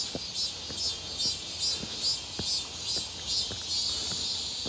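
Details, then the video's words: Cicadas calling near Seonbawi on a clear, hot midsummer day, 1 August 2023: a loud, shrill, evenly pulsing buzz, with faint steps in the background. "산책 부쩍 많아진 매미소리"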